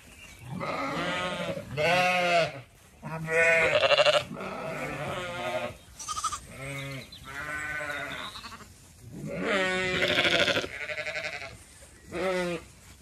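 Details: Zwartbles flock on a regenerative farm in County Kilkenny, Ireland, walking around a blooming orchard at evening; repeated tremulous bleats from several sheep, each lasting about a second, coming in quick succession.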